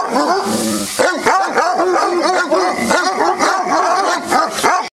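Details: Several dogs at Cheverny barking and yelping together in a dense, overlapping chorus, with short, rapid, repeated barks and some whiny, high yips running throughout.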